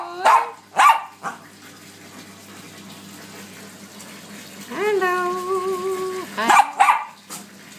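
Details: Bichon Frise dogs singing; two sharp yelps open, then a quiet stretch before a sustained wavering howl held for about a second and a half, ending with more short yelps.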